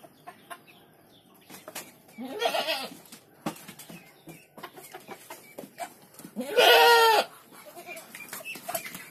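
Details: Goat kid bleating twice, a shorter, quieter nasal cry followed four seconds later by a louder, quavering, harmonic-rich bleat, amid clicks, rustling and background farm sounds.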